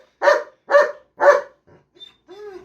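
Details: Teased pet German Shepherd giving three hard barks in quick succession, followed by faint rustling and a short, higher, wavering whine-like sound near the end.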